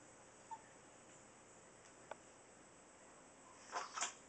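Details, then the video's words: Max, a two-and-a-half-pound Chihuahua, pulls odd faces, then gives two quick, breathy sneezes close together near the end, in a quiet indoor room with a few faint clicks before them. "Sneezing Chihuahua"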